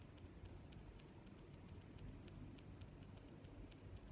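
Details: Crickets chirping in a nature setting: short high chirps in a steady band, loosely spaced with two louder clicks standing out, over a low background rumble.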